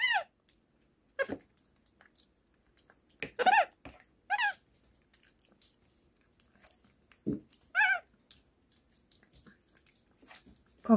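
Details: Pet capuchin monkey kept at home, 'talking' indoors: short arched harmonic chirps and squeaks, single or paired, scattered across the stretch with quiet gaps, and a faint low room hum beneath.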